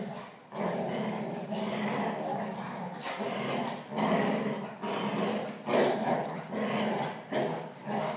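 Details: Playing Labradors, growling at each other; rough, low rumbling growls in repeated surges roughly every second or two, with scuffling and a man speaking Russian.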